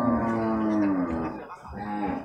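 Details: Beef cattle at the Purwakarta livestock market in Indonesia, 15 July 2024. A long, low moo that slides gently downward is followed after a short gap by a second, shorter low call, with market bustle underneath.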